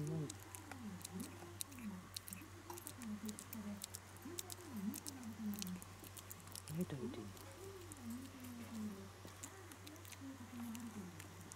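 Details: Shiba Inu puppy named Kutsu, at the stage of learning to stand and walk as its eyes and ears open, kept indoors; a run of short, high, arching whimpers rising and falling, repeated steadily over a constant low electrical hum.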